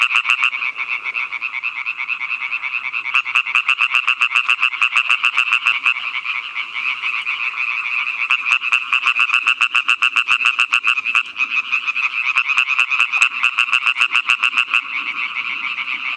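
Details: European tree frog (Hyla arborea), call.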